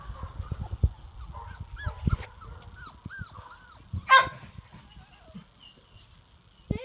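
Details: Labrador Retriever puppies from Daisy and Bear's litter, four and a half weeks old, give high squeaky whines that arch up and down in short scattered bursts, mixed with a person's calm voice and handling noises.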